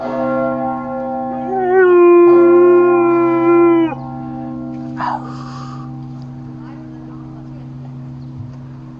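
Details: Chico, a Siberian Husky, joins in with church bells: a sustained, slightly rising howl for about two seconds, then stopping while the bells fade and a short voice and background noise follow.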